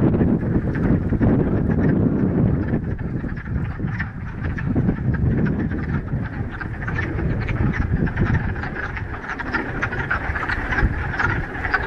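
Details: Frogs calling en masse in a mountain pond in the Ramapo Mountains, middle of March, on the first warm day of spring after a week of rain; dense, overlapping low clucking croaks pour out continuously, many callers at once, with no pauses.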